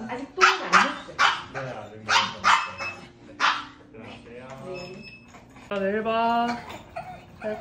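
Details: Maltese dog Dubu, in hospital after ligament repair and ovariohysterectomy, protests at her owner leaving with a run of sharp uneven yaps, then a wavering high whine; people talk nearby.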